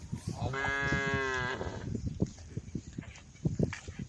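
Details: A cow from a herd roaming the road calls the herd with a single steady, harmonic moo lasting about a second, followed by scattered clattering and knocking sounds.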